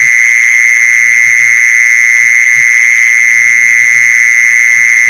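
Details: Continuous mole cricket trill used for luring mole crickets: a loud, level, high-pitched buzz that never breaks or wavers, with soft irregular low thumps in the background.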